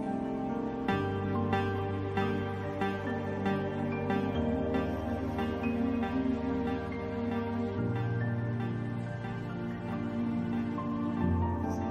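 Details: Soft instrumental music plays steadily throughout, with sustained low tones and gentle repeated notes; no animal sound is heard.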